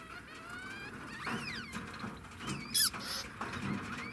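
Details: Degu giving faint, arching whistled calls that rise then fall, three spaced across a few seconds, with a brief sharp rustle or click in between over a low background hum.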